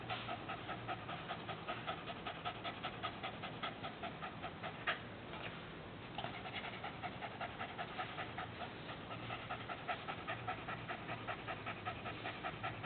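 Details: Rapid, steady breathy panting from a dog whose tongue is being played with. The huffs come roughly two and a half per second throughout, with one brief louder bump and a short pause midway.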